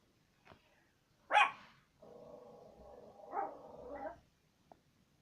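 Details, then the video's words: A pet dog gives one sharp, loud bark, followed by a drawn-out, rough, whining growl lasting about two seconds that swells and fades, then a brief faint click. "Моя собака как она гавкает"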